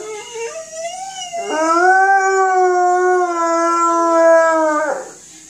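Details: Alaskan Malamute howling: a long, steady, harmonic-rich howl that opens with a short lower note, then jumps up and holds level for about three seconds before fading away; no other sounds.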